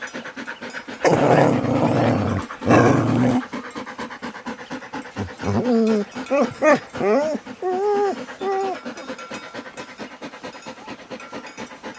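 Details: Dog vocalising on a farm: a harsh broadband burst, a short pause, then another, followed by several short rising and falling whining yelps, with panting-like breathy noise throughout.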